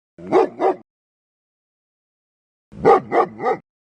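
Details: A dog gives loud, deep barking, called terrifying. A rapid double bark, a two-second pause, then a fast triple bark.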